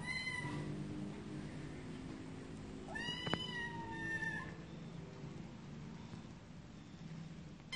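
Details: Cats meowing: a short call at the start, then a longer drawn-out meow with rich harmonics, alongside a sharp click and low room hum.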